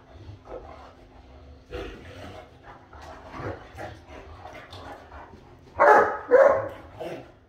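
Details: Two Great Danes hold their regular morning "conversation", grumbling and muttering in low, voice-like sounds, then letting out two loud, deep woofs.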